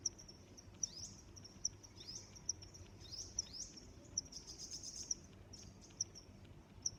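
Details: Cricket chirping in nature: high, sharp chirps roughly every 0.8 seconds over a continuous high hum. Brief sweeping calls, apparently from another animal, overlap near the start and middle, with a faint low rumble beneath.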